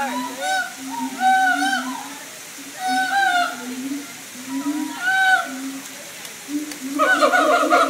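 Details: Siamang apes singing in captivity at the Tampa Zoo: a run of loud, hooting tonal notes with upward-swooping whoops in bursts about every second, building to a denser, louder chorus at the end.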